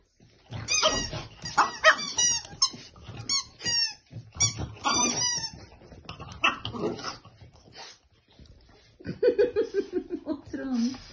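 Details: French Bulldog puppy, female, indoors going wild while playing with a toy elephant: squeaky toy squeals and high whiny yelps in rapid bursts, with a rising-falling whine sequence near the end.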